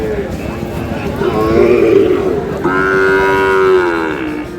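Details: Young Sahiwal bull calves, about six to seven months old, at a Sylhet cattle market in Bangladesh, 22 May: a wavering low moo followed by a louder, sustained harmonic bellow, with market voices behind.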